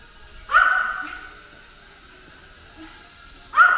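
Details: Ten-year-old house dog that dislikes drones attacks one, giving a single loud, ringing bark, then a pause filled by the drone's constant high-pitched whine, and another bark at the end.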